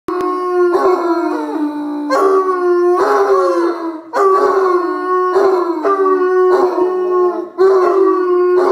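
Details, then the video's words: Bloodhounds howling, long drawn-out mournful howls with slight pitch bends, several overlapping voices in repeated bouts about a second apart, loud and close. "Bloodhound symphony"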